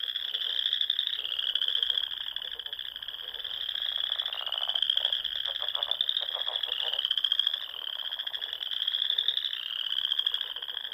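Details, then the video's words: Spring frog chorus from small lakes in the Sandhills of Nebraska at dusk, a steady shrill trilling wall of many callers, broken by bouts of fast, lower pulsed croaks in the middle. "RELAXING SOUNDS OF FROGS"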